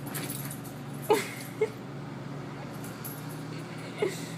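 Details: Bichon Frise dog chased by an orange cat it had been annoying, giving a few short high whimpers and yips, three brief squeaks spread over four seconds against a steady low household hum.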